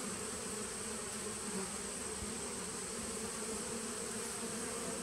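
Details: Steady drone from a 2017 honey bee nuc on 19 September 2018: many bees humming together in a continuous low, level buzz with no pauses, a faint hiss above.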